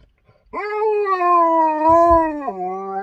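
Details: Eight-year-old Husky on his birthday, howling in a long sustained tone that rises at the start, holds steady, and drops to a lower pitch near the end, with a brief soft voice underneath.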